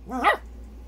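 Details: An angry Maltese dog gives a single sharp, high-pitched bark that rises and falls quickly.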